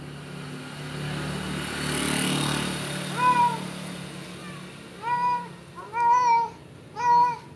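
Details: Persian cat mating with a village cat: after a few seconds of steady low hum and noise, four clear, arched, harmonic meows follow at roughly one-second gaps, each rising then falling, the later ones louder and longer.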